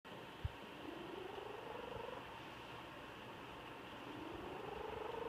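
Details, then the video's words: Sleeping pet cat snoring softly: a faint, buzzy rising drone on each breath, two breaths separated by a quiet pause, with steady background hiss throughout. "Snoring Kitty"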